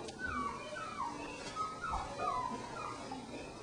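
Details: Young puppies, three weeks old, whimpering inside their pen near the crate; a run of short, bent whines rising and falling one after another, fairly quiet against background room noise.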